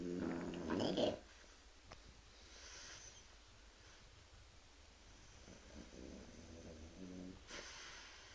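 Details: Sleeping French Bulldog named Arnold snoring loudly at night indoors: one strong, rough, harmonic snort lasting about a second, followed by quieter, fainter snoring breaths in a calm room.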